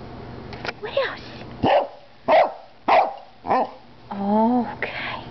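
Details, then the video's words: Female Cardigan Welsh Corgi, 11 years old, barking indoors beside another Cardigan corgi, an 8-year-old black and white dog. Sharp single barks come about every half second, five in a row, then a longer drawn-out tonal whine-like sound; faint human voices. "Cardigan Corgi Lilly Barking"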